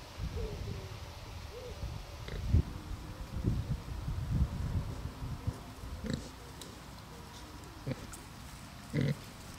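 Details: Two Bentheimer pigs on a meadow in the Lower Rhine region give deep, short grunts and snuffles at irregular intervals; the grunting is described as not sounding happy, perhaps because they smelled collected chestnuts.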